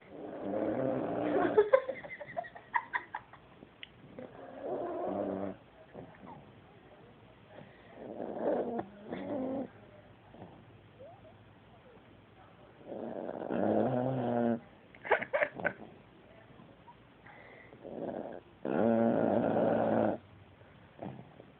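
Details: Black Pomeranian lying down asleep, snoring loudly: raspy, rumbling breaths in bursts of one to two seconds, separated by quieter pauses, with rough noisy textures through the low and middle range.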